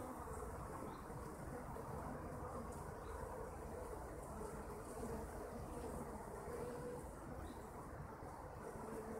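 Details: A mass of honey bees makes an even, grainy droning hum throughout. Brief, clearer, higher buzzing tones come and go, as individual bees pass near the hive.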